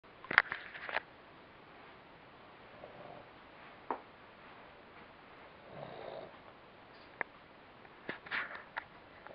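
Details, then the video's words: Mack, a lazy Boston Terrier, sleeping and snoozing indoors: soft snuffling breaths and short nasal snorts come in scattered bursts, with a quiet throaty snore midway and long near-silent pauses between. "Mack snoring and snoozing"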